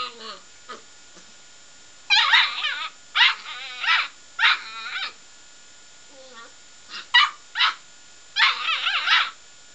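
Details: Border Collie puppy of seven weeks telling off a radiator after it nipped his nose; shrill puppy barks and squeaky whining yips come in clustered bursts with brief gaps, loud and close in a quiet room.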